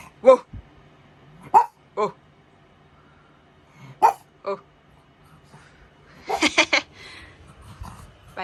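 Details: Pug barking in short, sharp, separate yaps spaced about a second or two apart, with a person's voice exclaiming and chattering near the end.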